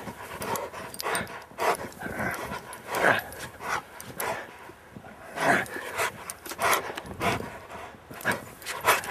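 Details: Rottweiler playing in the snow in Maryland on a Saturday afternoon, December 19, 2009; breathy, noisy bursts of panting come in irregular clusters, some louder than others, with short quieter gaps between them.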